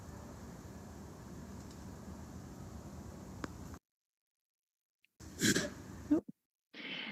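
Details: A female American black bear at Shubenacadie Wildlife Park, Nova Scotia, in May, surprised while napping near the fence, paces and gives a short, breathy, sneeze-like warning huff telling intruders to leave her space, after steady background hiss.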